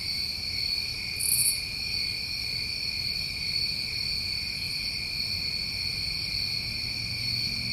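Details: Summer crickets in New England calling through the night: an unbroken, layered high-pitched trill with one short sharp buzzy burst early on, over a faint low background rumble.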